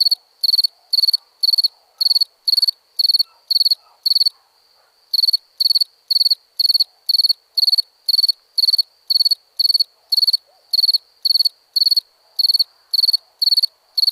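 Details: Night-time cricket in India giving steady, evenly spaced shrill pulsed chirps about twice per second, with one brief pause midway before the chirping resumes. The background is otherwise quiet.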